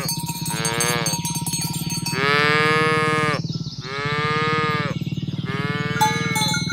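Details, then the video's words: Herd of tame village cows driven toward the pen one morning, four drawn-out lowing moos following one another about every second and a half, over a constant low rumble and the tinkle of cowbells. "Suara Sapi Moo"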